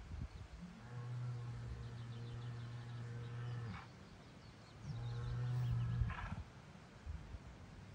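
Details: Angry Angus bull on a farm in Scotland, letting everyone know he is the boss. He gives two deep, steady droning bellows, the first about three seconds long and the second shorter, each ending in a brief rough rasp.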